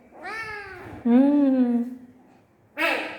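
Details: Sleepy pet cat crying indoors while a person coaxes it to sleep: two drawn-out, wavering meows, the second lower and louder and held nearly a second, followed by a short burst of human speech.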